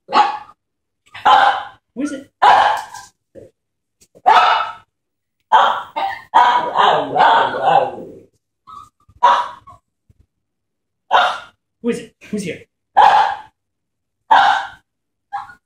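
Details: Two excited puppies greeting a woman coming home; bursts of sharp barks and yelps repeat every second or so, mixed with whining and a stretch of rough noise, with short gaps and some human voices.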